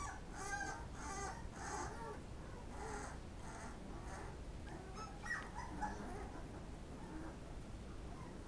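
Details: Pit Bull puppies eating, giving short harmonic squeaky whimpers in quick bursts, several close together in the first seconds and then fading to sparse, softer squeaks over a low rumbling background.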